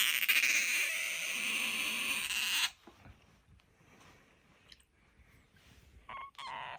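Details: Bingo, a pet otter with a high soprano voice, lets out a sustained shrill squeak for almost three seconds, followed by quiet room noise and a couple of faint short squeaks near the end.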